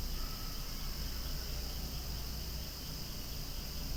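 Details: Short stretch of cicadas calling loudly near swaying flowers, a high constant buzz with a faint higher whine, set against heavy low-pitched wind or engine noise.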